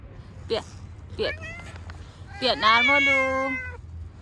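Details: Cute cats encountered outside give two short, sharp meows followed by a long, steady, nasal meow lasting over a second, mixed with a person's brief speech and a low background hum.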